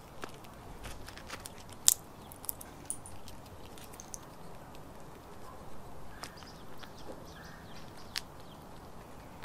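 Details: Neighborhood squirrel eating birdseed and nuts at a feeder: sharp, scattered clicks and crunches, one loud crack near two seconds and smaller snaps after, over a quiet background with faint distant chirps.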